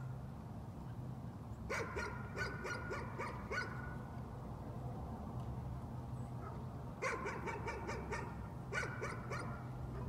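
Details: A dog's nuisance barking comes in three quick bursts of sharp, repeated barks separated by quiet gaps of a few seconds, with a steady low hum underneath.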